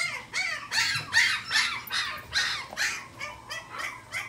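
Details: Pomeranian dog at a pet shop in Shizuoka, Japan, giving high-pitched yapping barks in a quick, fairly regular run, about ten yaps in four seconds.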